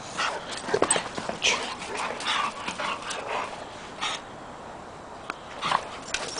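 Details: Rescue puppy Oliver, a Pug, Pekingese and Shih Tzu mix, meets the pack; short yelps and whiny cries come in bursts over shuffling paws and soft human speech, then a quieter stretch.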